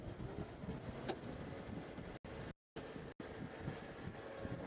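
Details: Steady low vehicle engine rumble with wind buffeting and brief dropouts; no animal calls stand out.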